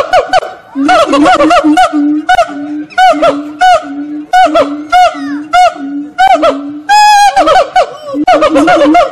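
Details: Monkeys singing at Fota Wildlife Park, Cobh, Cork Harbour, Ireland, give a run of even low hoots with looping higher whoops above, broken near the end by one shrill rising squeal before the hooting resumes.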